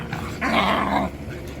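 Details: Young Jindo dog named Gangseon, described as growing up and starting to stand; a single rough, broadband growl lasting under a second, rising quickly and cutting off, in a quiet indoor-sounding space.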